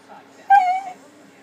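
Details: Pet puppy Max begging for a dinner plate so he can lick it, giving one brief, clear, high whine that holds steady and then fades, over a quiet background hum.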